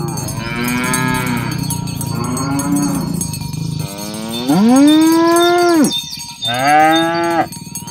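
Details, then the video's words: Cows roaming a green grass field while being herded to the pen in the morning, calling companions to gather: several overlapping moos, the loudest swelling and holding for over a second, then another, with cowbells clinking throughout. "Suara sapi lembu berkeliaran di ladang rumput hijau memanggil kawan untuk berkumpul - Bunyi sapi"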